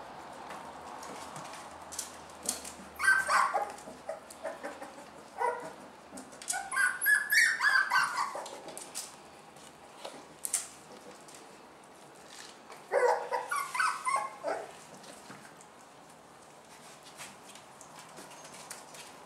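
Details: Toddy and Bella's canine family with puppies: squealing, whining yelps come in three loud bursts around three, seven and thirteen seconds, with quieter clicks and rustles between them.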